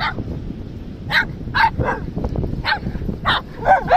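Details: Dog barking in short, sharp bursts, about eight barks over four seconds, irregularly spaced with a few close doubles, over a soft low rumble.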